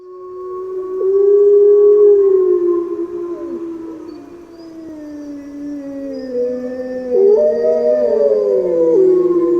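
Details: Grey wolf howling: several long, smooth overlapping howls held steady, one voice sliding slowly lower while others rise and waver, building into a layered chorus near the end.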